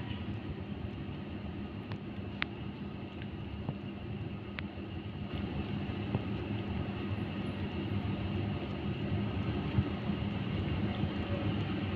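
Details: A steady, low street rumble of passing vehicles fills an urban outdoor scene, with a few faint clicks and no animal voice.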